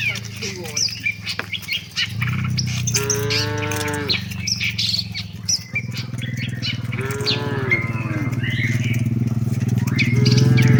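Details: Tame cows walking with the herd toward their shed; two short moos several seconds apart, set against a heavy low rumbling noise, faint chatter and occasional bird chirps.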